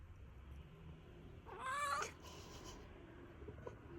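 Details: Yawn of a rescued brown tabby-and-white cat: a brief voiced squeak rising and wavering for about half a second, then a breathy exhale, over steady low background hiss.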